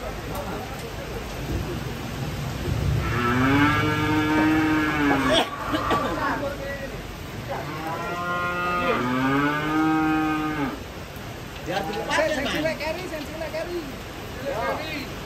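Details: Cattle unloading from a truck, lowing in long harmonic moos: two drawn-out calls around three to five seconds and eight to ten seconds, a shorter one near twelve seconds, over steady background noise.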